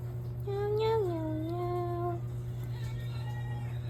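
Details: Domestic cat giving one clear meow that rises, then slides down and levels off for about a second and a half. A fainter, softer call follows near the end, over a steady low electrical hum.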